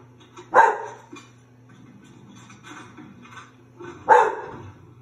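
An English Bull Terrier gives two sharp, single barks a few seconds apart over a low hum.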